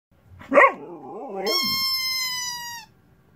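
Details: Female Siberian Husky pestering to get her squealing chicken toy back; a short sharp yelp sliding into a wavering, moaning whine, followed by a long, steady, high squeal from the rubber chicken toy.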